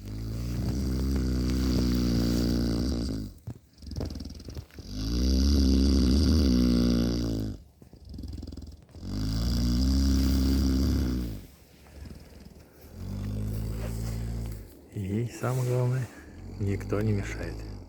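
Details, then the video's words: Cow kept in cold housing snores contentedly in her sleep. Long, loud, droning breaths of two to three seconds each are rich in low tones and alternate with short quiet gaps. Wavering, higher rasping snorts follow toward the end. "Коровушка "ХРАПИТ ""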